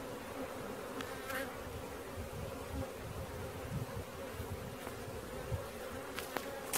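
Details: A swarm of honey bees during capture: continuous low buzzing drone, with a few sharp clicks and knocks over the hum, likely handling noises.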